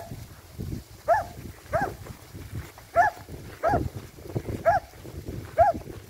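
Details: Finnish Lapphund barking repeatedly, six or seven hoarse mid-pitched barks spaced about half a second to a second apart, over a steady low rumbling background.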